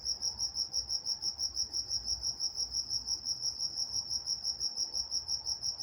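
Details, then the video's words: Crickets at night in Walnut, California: a steady high-pitched pulsing chirp, about three pulses a second, with a fainter higher band above it and a quiet background. "Nature Sounds Night Time Crickets in Walnut, California"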